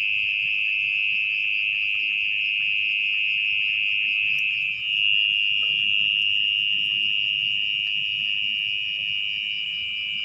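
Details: Mole cricket (orong-orong) calling at night from its burrow in wet, muddy ground as it is dug out. A loud, steady, unbroken high trill holds one pitch throughout, shifting slightly higher midway. Faint low rustling sits underneath.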